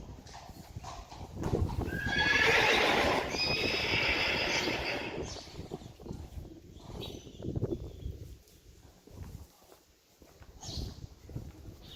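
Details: Two Friesian horses pulling a carriage trot through water on June 29, 2019. A loud, harsh whinny starts about 1.5 seconds in and lasts roughly three seconds. Splashing and rhythmic hoofbeats continue underneath and after it.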